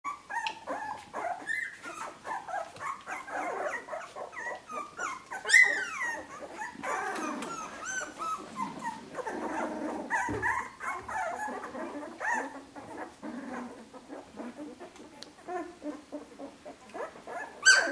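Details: Fifteen-day-old puppies, drinking, trying to walk and looking around; a busy chorus of soft whimpers, squeaks and yips from several pups overlapping throughout, with a few sharper squeals standing out.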